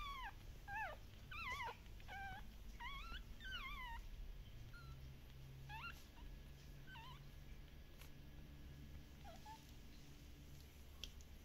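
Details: Lively Shiba Inu puppies at a Dutch breeder whine in quick, wavering high cries, clustered in the first four seconds and then coming as sparser single whimpers, over a low background hum.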